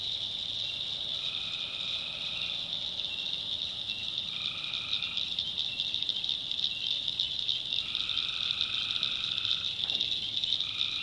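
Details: Tree frogs calling at night in a swamp in the backwoods of North Carolina: humming, nasal trills about a second long come and go over a steady, shrill high-pitched chorus.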